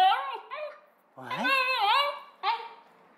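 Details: Basenji dogs Ginger and Graham vocalising indoors, a yodel and baroo: warbling, harmonic-rich cries that bend up and down, one long wavering call in the middle framed by shorter sliding sounds, with a man's voice talking to them.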